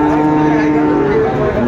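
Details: Sahiwal breed bull calf being sold at a Cumilla, Bangladesh livestock market, 18 October 2024: a steady, low, droning moo for about a second, then shorter wavering tones. A busy, noisy crowd is heard behind it.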